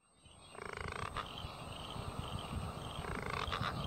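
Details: A southern bell frog of the Murray Valley, South Australia, gives its mating call, a rough, rapidly pulsed growling croak, heard twice.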